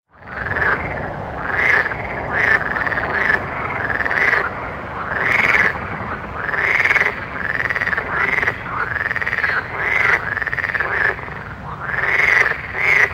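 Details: Frogs calling at night in a chorus: rapid pulsed croaks swelling and fading in overlapping arched bursts about every second, with a steady low background hum.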